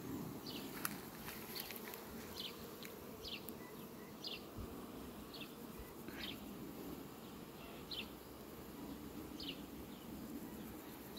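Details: Farm scene from 18 July 2021 with honey bees in flight at sunflowers: a dense, continuous low buzzing drone throughout, with thin high chirps dropping in pitch recurring about every second and a few sharp clicks.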